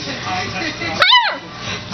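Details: A male Beagle-Basset Hound mix (Bagle) puppy, almost 3 months old, gives what is apparently his first bark: a single high, squeaky bark that rises and falls in pitch.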